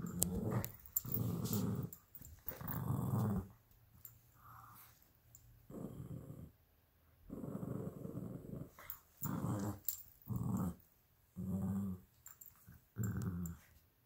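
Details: Two small pet dogs indoors, a 12-week-old Alaskan Klee Kai cross Pomeranian puppy and a 7-year-old American Eskimo cross Chihuahua, fighting over a toy fox: low rumbling growls in bursts of one to two seconds, separated by short silences.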